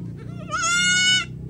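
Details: Goat answering when called, described as hungry: a long, bright, nasal bleat of about seven tenths of a second, slightly wavering then steady, with low rumbling hum underneath.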